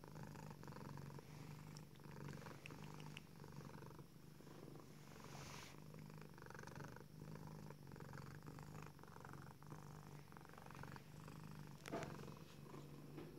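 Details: Female tuxedo cat Selina purring like a little motor while stretching her front paws on her cat tree, showing contentment; long steady low purr in breathing cycles, with brief rustling and a click near twelve seconds.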